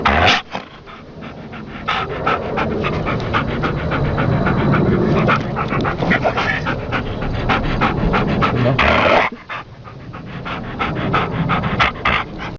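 A sleeping Rat Terrier snores in quick, rasping, breathy rhythms that sound almost human.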